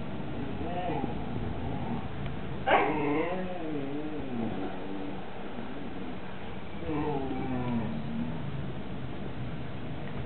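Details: Siberian Husky begging while Mau Mau chews a lamb bone and Hugo looks on, filmed 18 September 2007; two wavering, bending whines a few seconds apart over a steady low background hum.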